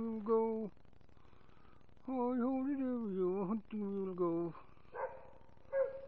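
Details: American Foxhound, a pet, singing along with its owner: drawn-out tonal howls with rich harmonics that rise and waver, in several bursts with short gaps, ending in shorter, rougher notes, indoors in a small room.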